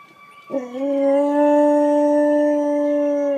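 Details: Wolfdog howling in response to sirens: a single long, steady, sustained howl with a sharp rising onset, then a level tone held for about three seconds before tapering off.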